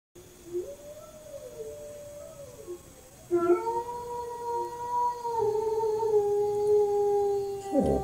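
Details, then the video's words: A Corgi takes up howling after listening to German Shepherds howl, answering with its own long, steady, mid-pitched howl. "Corgi Nuutti takes up howling after listening german shepards howl."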